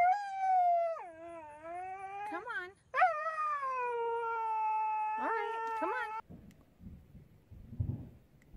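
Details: Pet Siberian Husky 'talking' in a howling voice: a dipping, wavering first phrase, then a steadier sustained note broken by quick upward yips, ending abruptly in low background rumble.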